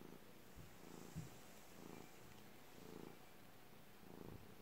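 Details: Domestic cat purring in a quiet room: low rumbling bursts swelling and fading about once a second, with one brief sharp knock.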